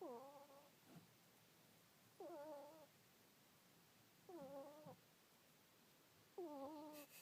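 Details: A pet ferret snoring while asleep: soft, squeaky, whistled tones that bend slightly downward, each about half a second long. Four of them come roughly every two seconds over a faint, steady hiss.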